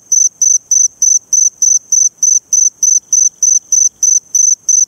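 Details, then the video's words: Eurepella cricket at Eighty Mile Beach, Western Australia, calling in high, shrill, even pulses of about a quarter second, repeated steadily at roughly three per second, with thin overtones above and a quiet background. "Eurepella cricket, Eighty Mile Beach, Western Australia"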